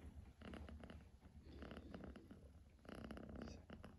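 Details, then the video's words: Kitten purring indoors, a steady low rumbling purr with rhythmic pulsing in two louder bursts, the second swelling near the end; faint background hiss. "my kitten purring 2000 MPH"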